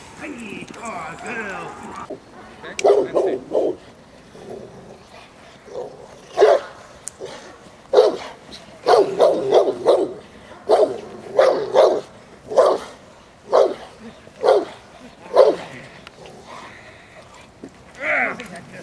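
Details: Presa Canario J7's Kelly, of the Irema Curto line, during protection training at De la Arena field in Germany; loud deep barks in irregular bursts, often doubled, among shouted commands from a handler.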